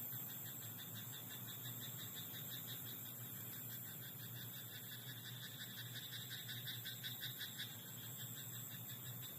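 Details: Frogs calling from a rice paddy after dark produce continuous rapid pulsed rattles that grow strongest in the middle of the recording. A steady high buzz and a low background hum persist.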